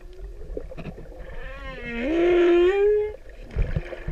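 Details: Singing male humpback whale courting a female in Pacific waters: one loud, resonant moan that rises in a smooth sweep and sustains a rich, rising tone for over a second before fading, with light underwater crackling.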